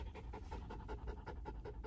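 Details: Mameshiba dog, afraid and restless during a car ride, seeking the owner's lap. Quick rhythmic panting, about five breaths per second, over a steady low engine rumble.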